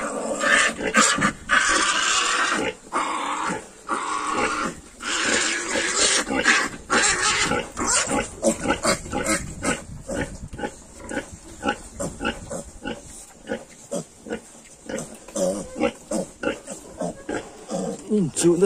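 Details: 22-day-old Yorkshire piglets start with dense squealing, then settle into rapid rhythmic grunting about twice a second, with scuffling between the calls.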